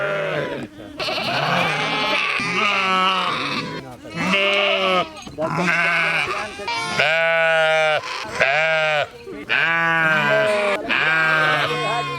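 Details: A sheep (Ovis aries) bleats repeatedly, each quavering baa wavering in pitch and lasting about a second.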